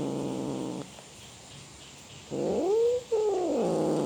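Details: Cat roaring: one wail ends, then after a pause a new drawn-out call swells upward, breaks briefly, and carries on wavering.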